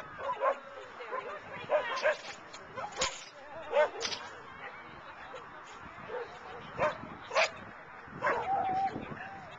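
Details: Eager to get running, Rain the agility dog barks at her handler during the CarDunAl trial, October 18, 2009. Bright, abrupt barks come in irregular bursts while people talk nearby in a noisy indoor setting.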